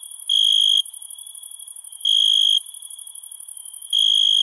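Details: Cricket calls in the night: three piercing trilled chirps of about half a second, separated by pauses of roughly 1.3 to 1.7 seconds, over a continuous high, pulsing insect hum.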